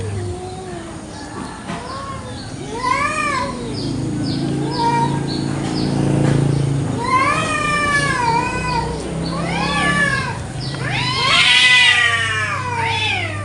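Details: Village cats fighting over territory in a garden one morning in Indonesia: long, wavering, rising-and-falling yowls overlapping between rivals, growing louder and shriller toward the end, with faint high chirps in the background.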